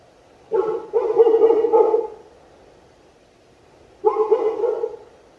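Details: Turkish Sivas Kangal dog giving throaty, loud barks. A rapid run of several barks nearly merges together, then after a silent gap comes a second shorter cluster of harsh barking.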